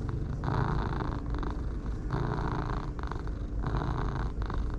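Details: Pair of dark and light orange tabby cats purring with pleasure as they are petted; the rumbling purr swells and fades in regular breathing cycles of roughly a second and a half.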